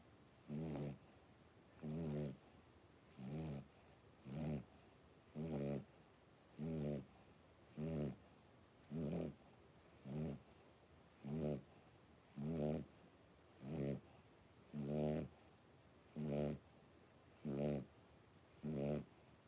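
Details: Indoor pen of five blenheim Cavalier King Charles Spaniel puppies aged three weeks; a long, regular run of buzzy, low snoring grunts, each about half a second long, recurring every second or so against a quiet room hiss.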